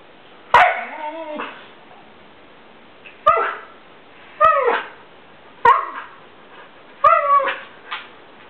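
A Siberian Husky gives a string of yowling, bending bark-whines, grumbling at another dog that won't play.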